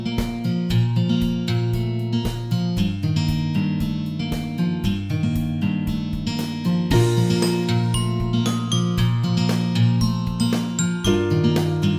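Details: Cheerful strummed guitar music with a steady rhythmic beat plays throughout, with no animal sound.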